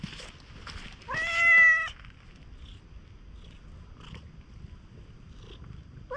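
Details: Stray cat resembling a raccoon dog, being extremely affectionate at a campsite after rain, gives one loud drawn-out meow that rises then holds steady for nearly a second, with faint rustling and quiet background noise around it.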